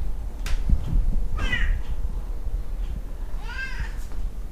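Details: Talkative Tonkinese pet cats Lu and Barney calling indoors: a brief bright meow midway, followed about two seconds later by a longer, arched meow that swells and falls, over a steady low hum.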